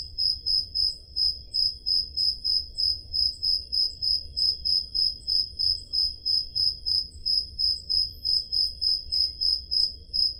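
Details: Night chorus of crickets in summer, Peloponnese, Greece, taken on a Zoom H5 recorder; shrill repeated chirps keep a regular beat of about three per second, slightly overlapping callers, faint low hum underneath.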